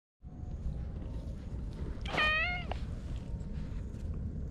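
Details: Stray cat found on a lawn, petted and happily climbing onto a lap; one clear, drawn-out meow, bending slightly downward, sounds about two seconds in over a steady low outdoor rumble.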